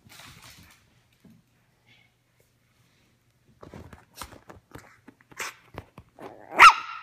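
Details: Ricci, a teacup Yorkshire Terrier puppy obsessed with his ball, plays fetch indoors; after quiet, short sharp barks and yips build up, ending in one loud high bark.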